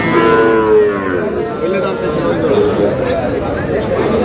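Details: Sahiwal bull calves at Aftabganj cattle market, Dinajpur, on 10 March as trading opens: one long, steady, low moo in the first second, then a dense murmur of crowd chatter and voices.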